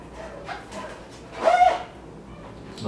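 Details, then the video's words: A very weak 7-year-old male guinea pig, unfed for a month and suffering chest pain, cries during a heart and lung check on April 25, 2014: one short harmonic whining squeal lasting under half a second over quiet room background. "You can hear the guinea pig crying."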